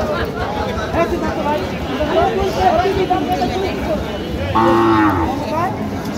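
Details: Lean cattle offered for sale at Aftabganj market, 1 November 2025. Near the end a single bright, low-pitched moo with rich harmonics lasts about a second, after a stretch of men talking and the constant murmur of the market crowd.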